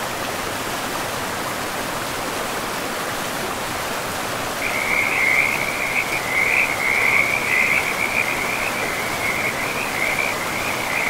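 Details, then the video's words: In a forest setting by a river, a frog starts a loud, high, rapidly pulsed trill almost halfway through and keeps it going, wavering slightly, over the steady rush of river water. "River and Frogs sleep sounds"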